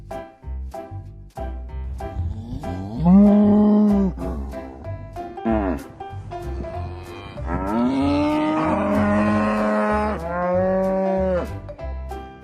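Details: Cattle mooing: a short low moo around three seconds, then a longer drawn-out moo that slides upward and holds for several seconds, with a steady background music beat throughout.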